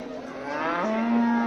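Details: Simmental fattening bulls being shipped to Ankara, Turkey, give a long, steady, low moo with clear harmonics that rises slightly midway and holds to the end.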